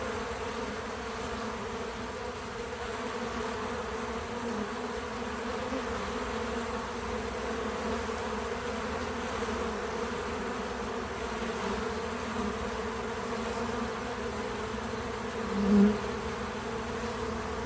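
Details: Bees at a feeder fill the air with a steady, droning buzz, a low hum layered with richer overtones.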